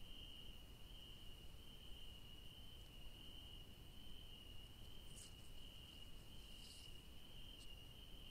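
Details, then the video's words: A high, continuous cricket trill in a night garden among yellow daisies holds one even pitch throughout. It sits over a soft low rumble, with a couple of short faint ticks near the end. "The magical sounds of crickets at night"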